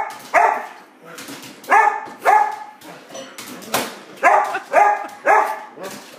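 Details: Excited English Springer Spaniel before dinner barking in uneven clusters, harmonic yelps coming in pairs and a triple near the end, with tapping and rattling noises between.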